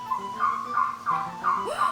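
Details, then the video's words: Toad call played back from an exhibit button at a toad ecology museum in Sannam-dong, Cheongju; the toad lacks a vocal sac and calls from the throat, giving bird-like repeated short chirping notes about every third of a second, indoors. "저게 두꺼비 울음소리입니다."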